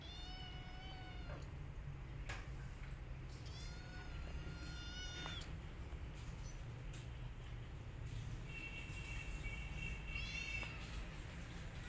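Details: Domestic cats: a mother cat with her kittens turns and attacks an orphan kitten after smelling it. High, thin, harmonic meows come in three drawn-out bursts of one to two seconds, the last one steady and piercing, over a low rumbling background.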